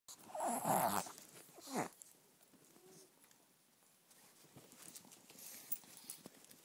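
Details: Rescued Chihuahuas Flicker and Tootie at play in a South Florida foster home, with Dunkie joining in; a loud, rough growling yelp bursts out in the first second, then a shorter snarl, then quiet scuffling and faint rustling indoors.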